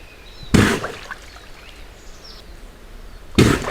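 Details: In summer heat a moose clears insects from its nose with two forceful, blasting sneezes about three seconds apart, each a short broadband whoosh with a heavy low-end thud, separated by quiet ambient outdoor sound.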